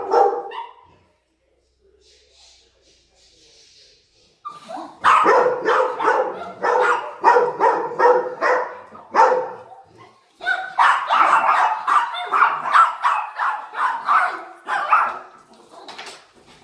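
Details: Three dogs going crazy with excitement as their owner comes home: after a quiet start with a brief whine, a burst of dense, overlapping yelping barks and whines, frantic and irregular, mixed with some voices.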